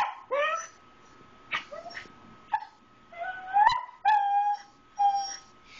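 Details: Pet dog begging for grilled cheese at the table, making a series of short whining yelps and drawn-out whimpers that slide upward, with pauses between; a woman's soft voice nearby.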